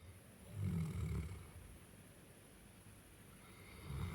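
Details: Pet male Cane Corso snoring as it sleeps: a deep, rumbling low snore lasting nearly a second, a quiet pause with soft breathing, then another low snore starting near the end.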